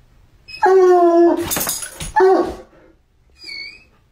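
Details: A Bloodhound gives a drawn-out, deep, musical bark, then a rough burst and a shorter second bark.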